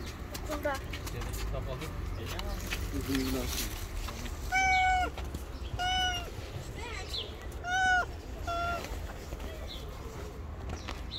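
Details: Hungry stray cat on the street, nervous but waiting to be fed, utters several clear drawn-out meows in the second half, mixed with human talk and rustling handling noises throughout.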